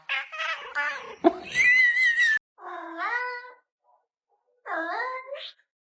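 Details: Pet cat indoors "arguing" with its owner, giving loud drawn-out meows: a rapid wavering series, then two separate long whining meows with a falling then rising tone, gaps of silence between.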